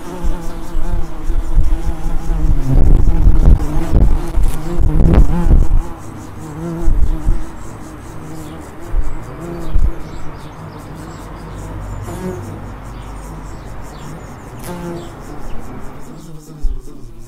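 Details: Low humming bee buzz with wavering overtones from a suburb of Edinburgh, mixed with clattering knocks between three and six seconds, then a steadier drone that fades near the end.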